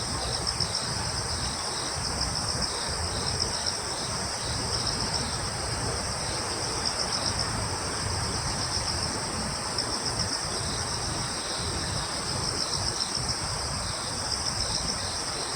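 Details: Woodland crickets on Yeongjong Island, Korea, keep up an unbroken, thin, high trilling chorus, with a faint pulsing texture against a low background hum.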